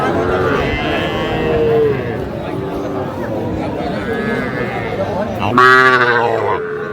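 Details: Calves at a cattle market in Faridpur on 8 February 2025, where small bull and heifer calves are sold. A single loud, drawn-out moo rises near the end over steady crowd talk, bargaining voices and background music.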